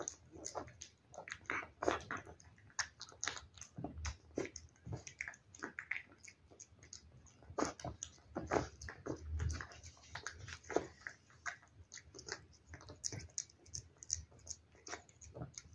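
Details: Pet cat eating wet food: loud, dense smacking and biting sounds, with occasional heavier crunches and soft thumps among rapid, uneven chewing clicks in a small room.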